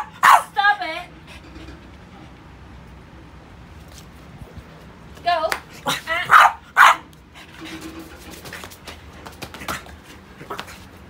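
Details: French Bulldog named Pogi, a stubborn pet playing with rubber toys indoors, gives sharp, loud barks, a quick pair at the start, then a burst of three or four around the middle, with a person talking between them.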